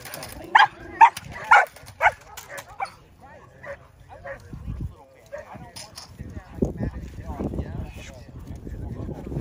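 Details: Indi, a six-month-old Belgian Malinois, during bite work: three loud, sharp barks roughly half a second apart open the recording, followed by quieter scuffling, softer vocal sounds and human voices.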